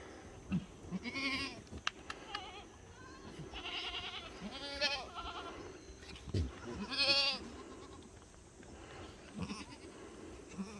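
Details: Black goats at a farm in Gimhae, South Korea, giving several overlapping quavering bleats, at least five spread over about ten seconds, each nasal and shaky with bright harmonics, against steady farmyard background noise and occasional knocks.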